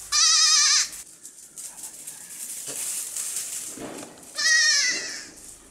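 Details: Playing baby goats on a farm; a loud, tremulous bleat opens the recording and a second, equally strong wavering bleat follows about four seconds later, with soft background noise between.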